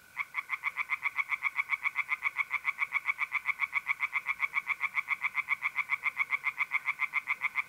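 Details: Night chorus of tree frogs in a pond, north-east Italy, mid-April: a very regular stream of clipped, grating croaks, nearly four each second, with mole crickets trilling steadily in the background.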